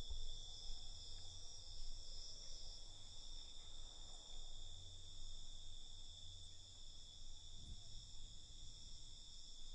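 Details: Night chorus of crickets, a constant high-pitched ringing trill that never pauses, over a soft low hum with occasional brief deeper rumbles.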